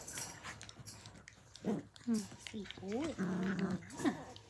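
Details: Australian Cattle Dog puppies, blue heelers, playing at Tin Roof ACDs in 2020: short low growls and whiny rising-falling yips come in bursts during the second half, with a woman's voice speaking softly nearby.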